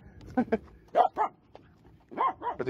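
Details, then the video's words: Finnish Spitz barking on a jetty in a bay in August; sharp, high yelping barks in quick bursts, several closely spaced, with brief gaps between, a person talking nearby. "Finnish Spitz: Sea Barking Dog"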